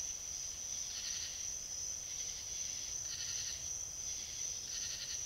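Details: South Carolina trail-camera footage of a fox giving three harsh, noisy bark bursts, each under a second long, against an unbroken high-pitched hum.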